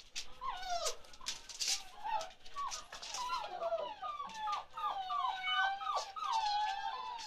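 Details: Chocolate Labrador Retriever puppies at 47 days old give quieter, overlapping whimpers and short wavering whines, steady low background hum behind the repeated high cries.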